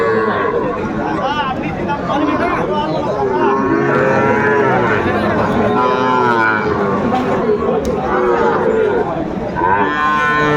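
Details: Many Sahiwal calves brought to a Sylhet cattle market, 29 June 2024: overlapping bleating moos from several animals fill the scene, with dense crowd chatter underneath.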